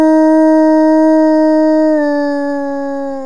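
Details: A wolf named Smoluch gives a long, steady howl that steps slightly lower partway through, then fades, likely asking his family group where they are.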